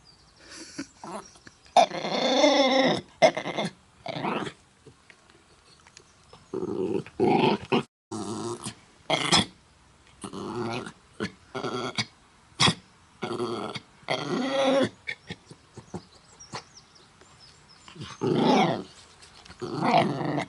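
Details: Dog named Mutley with a very bad cough attempting to sing, Bredagh, Carrigallen, County Leitrim, August 27th 2016; ragged wheezy coughs and growl-like rasps in irregular bursts across the recording.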